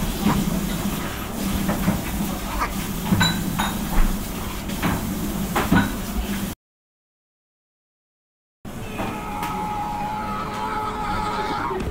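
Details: A sliding door, clinks and rumbling household or vehicle noise, then a sudden silent gap, then a steady hum with faint tones; no animal voice.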